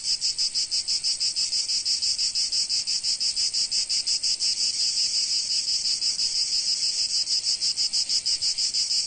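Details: Provence cicadas in summer sun produce a shrill, unbroken buzzing wall of sound, throbbing at a quick steady beat of about three pulses per second, nothing else audible.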